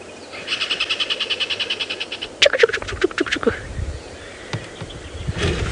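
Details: A tree squirrel gives an alarm call at sunrise on Dec 14, 2016 in South African bushveld near Djuma, a fast run of about eighteen dry clicks over two seconds, then harsher calls; possibly at a leopard, bird or other squirrel.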